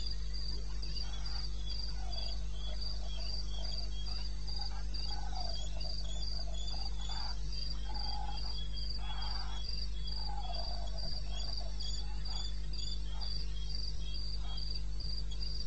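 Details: Wild crickets at night in eastern Botswana, 21 May 2016, 2:30 AM. A rapid, very regular high chirping runs throughout, joined by a second, lower cricket and soft mid-pitched croaks, all over a continuous low rumble.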